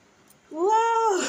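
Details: Domestic cat lying down, letting out a single loud, clear meow lasting under a second, rising at the start, holding a steady pitch, then falling off at the end, in a small indoor room.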